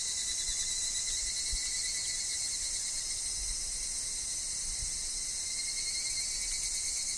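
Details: Evening cicadas, higurashi, in a forest setting with wind and falling leaves, produce a steady high-pitched pulsing drone with no breaks, over a faint lower continuous tone and a few soft low thumps.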